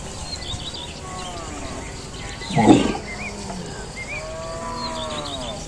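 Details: Cows known for unusual voices: a soft, drawn-out lowing at the start and end, broken by a brief loud harsh burst in the middle, over steady outdoor noise with faint bird chirps.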